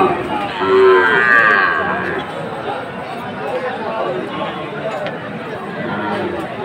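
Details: Sahiwal cattle at a farmers' cattle market in Jessore, Bangladesh, on 29 October; a single loud low moo in the first two seconds, followed by steady crowd murmur and chatter of people.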